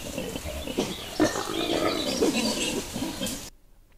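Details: Wild boar on a trail camera in the first 20 days of May 2023, with piglets nearby, giving rough, rapid grunts and short squealing notes that overlap in a busy burst.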